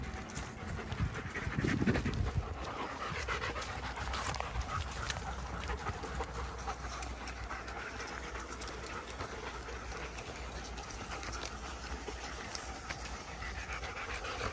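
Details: Ten German Shepherds play together on a forest walk in Maine, one called Anka. Steady, breathy panting runs throughout, with a brief louder rustle near the start and a soft, broad background hiss.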